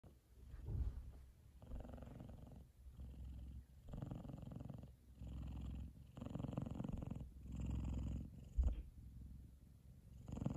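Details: F2 Savannah cat Kumba purring loudly while fast asleep, content with his brother Taj lying on top of his head; low rumbling purr in rhythmic bursts, each breath cycle roughly one to one and a half seconds, with short quiet gaps between.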